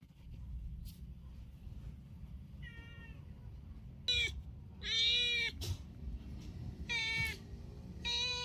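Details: Domestic cat calling with about five clear, drawn-out meows in the second half, each harmonic-rich and slightly arched in pitch, spaced roughly a second apart over a low indoor hum.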